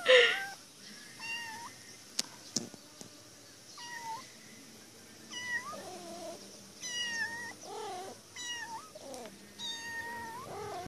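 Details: Caged female cat calling insistently until someone frees her, giving repeated meows every second or so, mostly flat and nasal, a few wavering and complaining, with occasional sharp knocks; a loud burst at the start.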